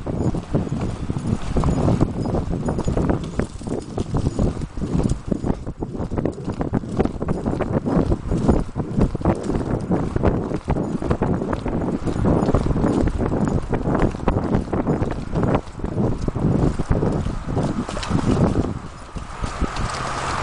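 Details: Galloping Appaloosa mare carrying a rider, 2010-2011, on trails in Riverside Park and around Sherman; twenty seconds of fast, steady drumming hoofbeats, deep and thudding, under constant wind rush.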